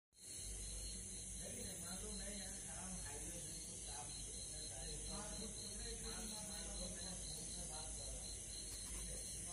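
A green cicada gives a steady, shrill, high-pitched buzz at night, with faint voices underneath.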